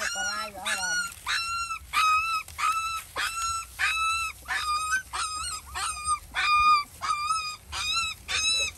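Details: Hungry village dogs, a mother and her puppies, being fed by a neighbor: high, tonal whines with bright overtones, rising then flattening, repeated roughly every half second in a steady series, with a brief lower cry at the start.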